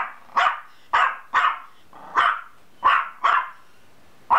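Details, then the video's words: Rapid, steady barking from a dog: around eight loud, harsh barks in under five seconds, roughly every half second, each bark short with a fast onset and fading tail. "Dog barks"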